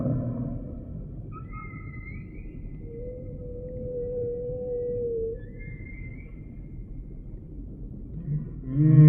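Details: Humpback whale song: faint, thin high whistles and a longer mid-pitched wavering tone drift over quiet underwater hiss, ending with the onset of a deep moan.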